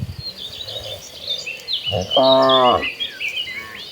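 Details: Herd of cattle walking toward green pasture; one short, steady, low moo rises midway and lasts under a second, while small birds chirp and twitter at higher pitch throughout against faint insect noise.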